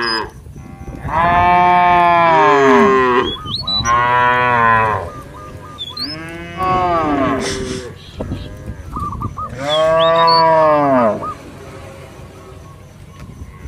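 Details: Village cattle roaming in a field: a cow gives four long, rich moos, calling its companions to head back home to the pen.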